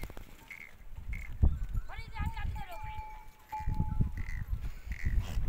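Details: Herd of goats resting on sandy desert dunes at sunset after a day of foraging; a single quavering, tremulous bleat rises around the two-second mark, with low wind rumble, short higher chirps and a faint steady tone behind.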